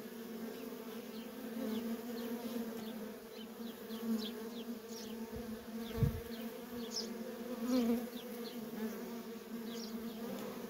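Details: Feral honey bee colony with nonstop worker traffic: an even, low buzzing hum underneath, punctuated by scattered quick zips of bees darting past the recorder and a couple of louder close passes.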